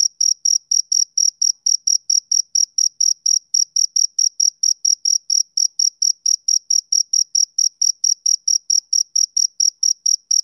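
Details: Steady rhythmic chirping of a male cricket on a summer evening, shrill uniform pulses about four per second throughout, unbroken and alone in silence.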